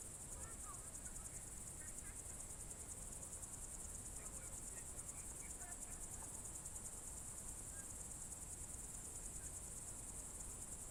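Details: Crickets on a June 2023 evening in the Novye Buregi tract, Novgorod region, Russia: a steady, high, finely pulsed trill runs unbroken throughout, with faint scattered bird chirps and a low background rumble.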